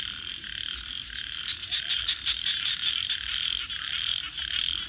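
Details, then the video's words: Frogs at night form a thick pulsing chorus, and a burst of louder, sharper rapid croaks rises out of it partway through. "Crackling Fire 🔥 and frogs 🐸 Sounds"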